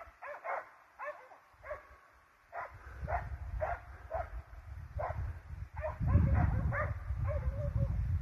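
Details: Hunting hounds and Russo-European Laikas chasing wild boar: spaced barks roughly every half second, gradually thickening, while a loud low rumble of wind or movement swells in the second half.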